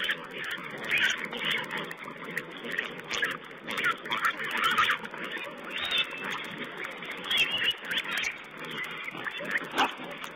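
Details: Wild boar piglets feeding at a camera site, recorded 19 April 2010: busy, overlapping short grunts and squeaky squeals in rapid bursts, with a steady hiss of background noise throughout.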